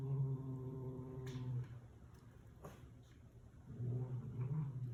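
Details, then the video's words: Domestic cat guarding its meal from its daughter: a low, droning growl that breaks off, a quiet gap with small clicks, then the growl resumes, deep and even, in a small room. "Cat Doing Weird Sounds While Is Eating"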